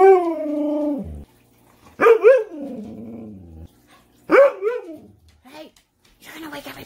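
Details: Manson the Siberian husky, a pet, arguing back at one in the morning when refused dessert: a sustained howl that drops off, then two bursts of yowling, wavering 'woo-woo' talk several seconds apart, with a woman's voice faintly at the end.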